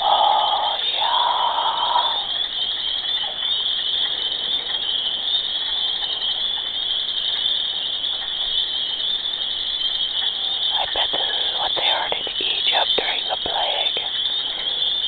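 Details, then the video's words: Frogs in mating season, loud day and night, form a dense steady high-pitched chorus that drones without a break. Lower warbling calls rise over it early on and again near the end. "Horny Frogs"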